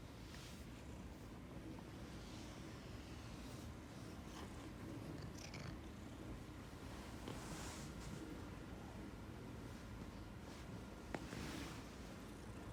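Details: Affectionate Ragdoll cat purring as it rubs against its owner, a continuous low throbbing rumble over about twelve seconds, with a faint steady tone and a few soft rustles and a brief click.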